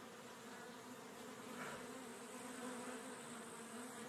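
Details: Western honey bee. A mass of honey bees produces a continuous buzzing drone, a low steady hum layered with bright harmonic overtones. The sound swells slightly midway, as bees pass closer, without any pause.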